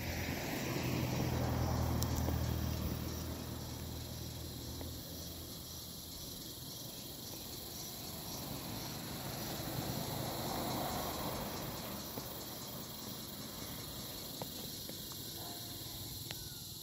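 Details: Cicadas in the summer air of the Barog hills keep up a steady, high, bell-like ringing drone with chirping sounds, over a low rumble of wind or distant traffic.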